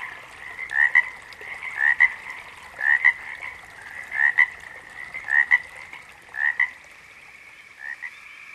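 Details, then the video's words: Frog calls in a natural setting: doubled croaks repeating about once a second, with brief gaps, fading near the end; little else heard beyond faint background hiss. "Frogs - Nature Sounds"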